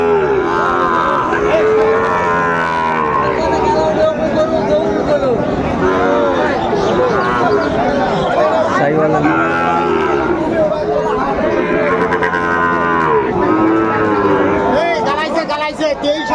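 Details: Many Sahiwal bull calves lowing at a busy cattle market in Tangail, Bangladesh, 2 May 2024, during hot weather. Repeated arching, tonal moos overlap almost continuously amid crowd murmur and nearby speech.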